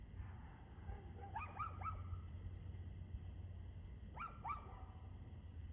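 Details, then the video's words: Dog barking on 2/6/2024 around 6:02pm: two short bursts of sharp, yelping barks, three or four in quick succession, separated by a few seconds of steady low rumbling background noise. "Barking Dog"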